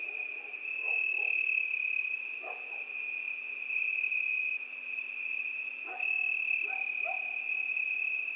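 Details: Summer-night cricket chorus, an unbroken high-pitched ringing trill at an even pitch. Several short, lower, croak-like calls break through at intervals underneath.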